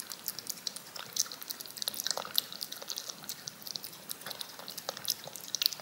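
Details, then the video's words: Wet, dripping smacks from a cat lapping yogurt from a spoon, indoors: quick tongue clicks come in uneven bursts with a few sharper glints of sound, no voices or other noise around them. "CAT LICKING YOGURT off a SPOON"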